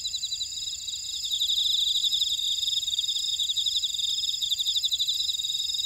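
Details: Buckwheat-field insects of Ora-dong on Jeju Island, South Korea, sing in an unbroken high chorus; fast rhythmic ticking trills swell after the first second and hold steady among layered continuous whining tones.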